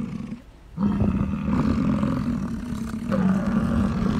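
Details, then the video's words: Bull American bison in rut gives a deep, rough, guttural roar meant to attract females, starting after a quiet moment and holding steady for over three seconds with a slight swell near the end. "Bull Bison in the Rut!"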